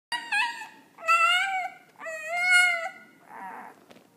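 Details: A one-week-old puppy vocalizing: a series of high, tonal whining cries with rich harmonics, three sustained wails rising and falling over four seconds, ending in a softer grunt-like sound.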